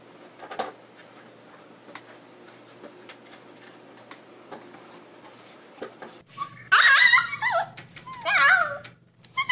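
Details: Siberian Husky puppy indoors: mostly quiet room with light taps and clicks for six seconds, then a burst of high, wavering squeals and whimpering yips in short wobbling bursts near the end.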